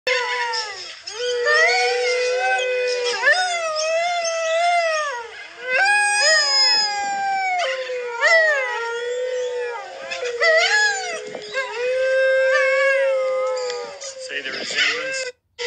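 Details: Dingo, Australian wild dog of Outback Central Australia, howling: long, wavering, harmonic-rich tones rising and falling, several overlapping voices in a chorus, sustained over the whole stretch with brief pauses.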